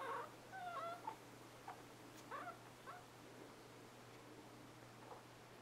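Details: Newborn Scottish Terrier puppies, born 11/11/2010, indoors: a run of short, thin squeaking whimpers, some sliding up then down, clustered in the first three seconds, then a few fainter squeaks over a low steady hum.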